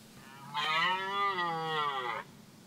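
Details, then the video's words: Rutting red deer stag in a clearing nearby, rut of 2024, giving a single drawn-out harmonic roar lasting nearly two seconds, rich and steady with a gentle dip in pitch, then quiet. "Ryczący byk na polanie blisko mnie.Rykowisko 2024"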